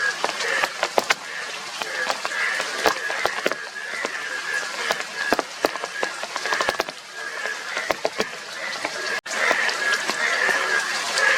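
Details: Indian yellow bullfrog, described as a yellow frog with blue cheeks, croaking within a crowded chorus: nasal, pulsing calls repeated quickly without pause, over constant watery hiss and scattered sharp clicks.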